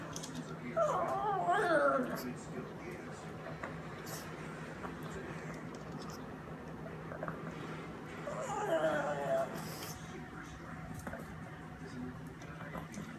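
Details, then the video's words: Family pug Bambi, a female, making her whining noise while eating indoors: two wavering, up-and-down whines around 1–2 and 8–9 seconds, with soft chewing and small-room background in between. "Bambi Our Lovely Pug makes whining noise while eating"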